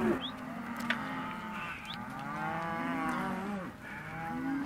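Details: Hereford and white-faced calves offered in a sale lot; a few long bawls with arching pitch stand out over quieter background mooing and a couple of sharp knocks.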